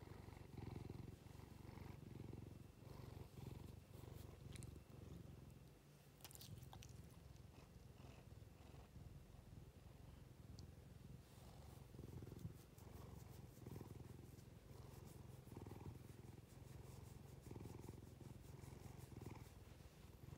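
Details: Domestic cat, eyes watery, purring steadily while being stroked; a low, even rumble swelling and fading in soft breaths roughly every second, with light rustling of fur and hands above it.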